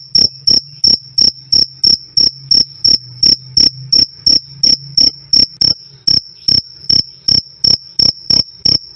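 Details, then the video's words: Cricket chirps, black jliteng and field crickets among those named, recorded loud and clear for training birds or as night-time company; crisp high trills repeating roughly every third of a second in a long even train. "Suara Jangkrik "Krik Krik" Keras Dan Jernih"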